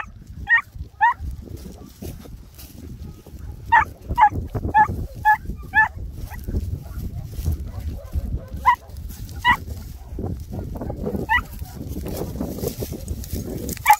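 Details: Greek Harehound hunting hare in Cyprus, giving repeated short yelping barks in uneven bursts, clustered then spaced out, over steady rustling and ground noise.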